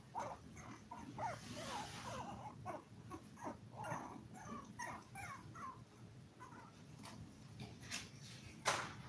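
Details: Seven toy poodle puppies at five weeks old, filmed live indoors, give repeated short whines and squeaks. The calls are steady at first, then thin out, and there is a sharp knock near the end.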